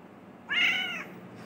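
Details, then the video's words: A talkative male house cat answers its owner's question with a single clear, bright meow of about half a second, steady and slightly arched in pitch, in a quiet indoor room. "Cat talking meows to answer my questions"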